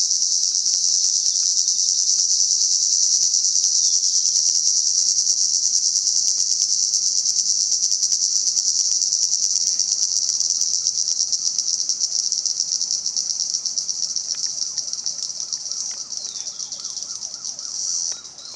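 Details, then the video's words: Cicadas in Salta producing a loud, sustained high-pitched drone, steady for most of the stretch and thinning slightly toward the end, with faint rhythmic ticking lower down. "Sonido de las Chicharras"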